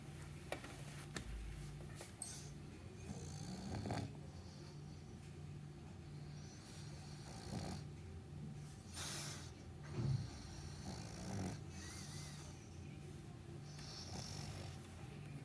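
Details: Meatloaf, a sleeping dog, snores during a morning nap: slow, uneven rasping breaths repeating every few seconds over a low rumble, with a sharp tap early on.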